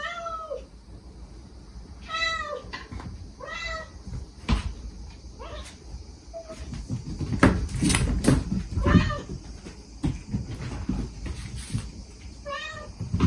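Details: Mother stray cat and her five kittens in Japan, the mother's gentle calling and the kittens' trusting, begging cries, recorded to lure a last kitten out; repeated short downward-sliding meows every second or two, with clattering and rustling between.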